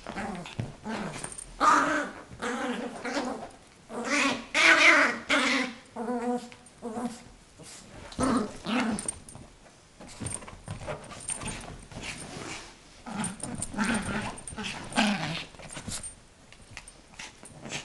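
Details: Guarding her toy from her owner, a young female Yorkshire terrier, 8 months old, gives repeated rasping growls in uneven bursts, louder early on and quieter toward the end, with faint handling noises.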